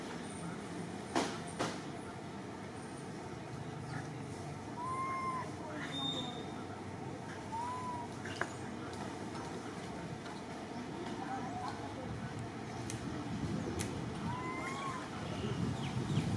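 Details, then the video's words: Orphan monkey Martin crying out for Malida with brief, high, bent whimpers, one rising then falling, repeated at irregular gaps, set against continuous low rumbling noise and occasional sharp clicks. "Little Monkey Orphan Martin Sobbing To Call Malida"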